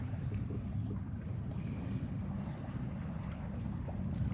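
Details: Friendly stray cat being petted at a scrap-material yard where strays gather in Japan; a steady, low rumbling purr runs unbroken through the whole stretch, with faint rustling of handling on top.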